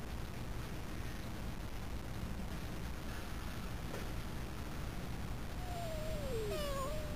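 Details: Stray cats in their hideout, recorded secretly: one drawn-out, descending meow near the end, followed by a shorter wavering cry, over steady low rumbling background noise.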